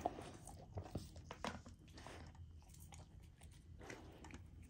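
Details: Close, wet chewing and crunching as a female Golden Retriever puppy eats a frozen raw-food dinner, with uneven bites, licking and smacking, indoors in a small quiet room.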